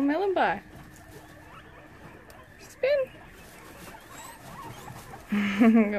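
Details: Guinea pigs at a small family-run rescue sanctuary in Brisbane, Australia, during the evening check: three short bursts over six seconds, the first a sharp upward-sweeping squeal, the second a brief rising note, the third stacked and buzzy, with a quiet room between.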